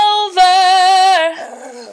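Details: Family Shih Tzu howls along while his owner sings, a sustained tonal howl that holds steady, then drops lower and fades; owner jokes he may just hate the singing.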